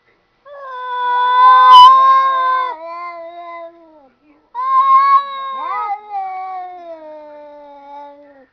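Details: Cats that seem to be talking: two long, drawn-out harmonic meows, each starting loud and sliding slowly downward into a low moaning tail, with a short gap between them.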